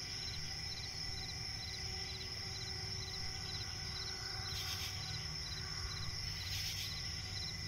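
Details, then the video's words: Night chorus of crickets in a forest swamp, with continuous high-pitched ringing and quick evenly spaced chirp pulses throughout, backed by a low steady hum and two short bursts of rustling noise near the end. "cricket chirping relaxing sound in night forest"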